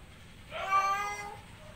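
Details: Male pet cat in heat calling to a female outside: a single strong, harmonic meow lasting under a second, slightly falling in pitch at the end, in a quiet indoor setting.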